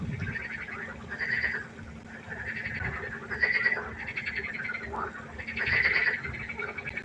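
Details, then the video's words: Frogs calling at night by a pond, a chorus of pulsed, rasping croaks in bursts of about half a second to a second, spaced irregularly, with a steady low hum beneath. "1 Stunde Froschkonzert. Frosch Geräusche quaken."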